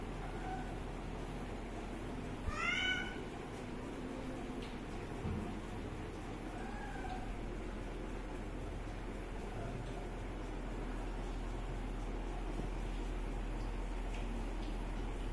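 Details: Kitten drinking water gives one short, clear, rising meow with stacked overtones near the third second, then a faint softer call a few seconds later, over steady low background hum.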